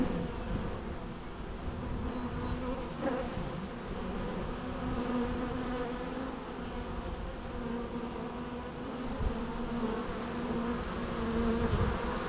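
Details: Continuous low drone of many bees, an even humming wash with faint wavering tones rising and falling over twelve seconds, no other sounds standing out.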